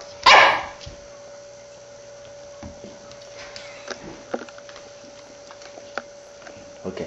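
A Shiba Inu gives one sharp, explosive sneeze to beg for food, then soft clicks and quiet.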